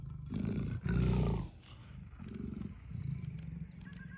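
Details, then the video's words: Leopards at play in Kanha National Park give deep, pulsed growls, a strong burst around the first second followed by two softer rumbling phrases, with light outdoor background noise. "Leopards Playing"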